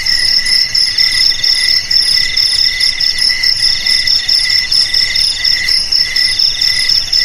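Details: Crickets trilling steadily in high, metallic pulses, several overlapping in a constant chorus, played as a rat deterrent for home, garage, storeroom and paddy field; no other sound stands out.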